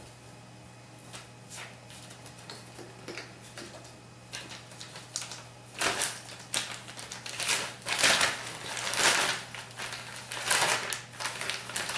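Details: Rustling, scuffling and sharp knocking noises fill a small room, growing busier toward the end. No clear animal voice stands out over the clatter.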